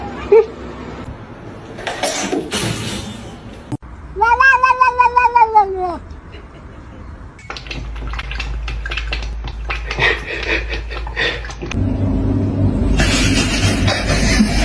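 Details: Kitten meowing: one loud, drawn-out meow lasting about two seconds, rising then sagging in pitch with a wavering quality, framed by human speech and bursts of rustling, clattering household noise.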